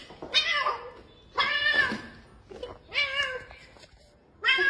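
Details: Domestic cat meowing, a call said to mean it feels really lonely and wants company: four drawn-out, nasal meows, each about half a second, rising then falling, spaced roughly every second and a half in a quiet room.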